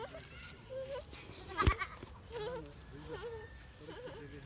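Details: Goat bleating while playing with a child in a village, wavering nasal bleats repeated several times, mixed with speech and a sharp knock.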